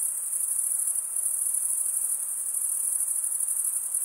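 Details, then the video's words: Chorus of crickets, mostly males, stridulating with their wings: a constant piercing high trill, finely pulsed and even in loudness, over a soft background hiss. "Most relaxing cricket sound for 8 hours"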